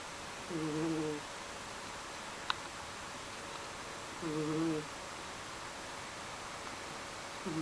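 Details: Sleeping pet cat Mysli snores in a quiet room, giving short, low, buzzy breaths with a slight tonal hum roughly every three and a half seconds, plus one tiny click between them.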